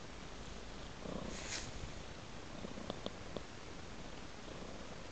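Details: Purring cat tracking a trail of raw meat; a low continuous rumble is accompanied by a brief airy burst and a few sharp clicks or ticks midway through.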